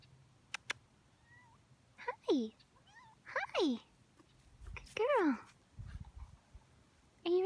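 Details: Small female cat crying and meowing outdoors at Mount Shasta around sunset: three loud, harmonic meows falling in pitch, about one per second and a half, a fourth starting at the end, with sharp clicks and a person talking softly to her.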